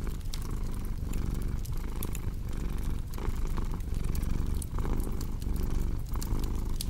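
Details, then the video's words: Cat's low rumbling purr rising and falling with each breath about every three-quarters of a second, while a fireplace crackles and snaps in the background. "Purring Cat with Cozy Crackling Fireplace Sound"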